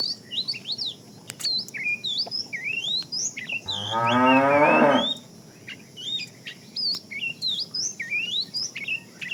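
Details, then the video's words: Fat cow among a tame herd being herded in the afternoon, calling the female: a single drawn-out rising moo of about a second and a half mid-clip, surrounded by constant sharp, repeated bird chirps. "The funny sound of a fat cow calling the female"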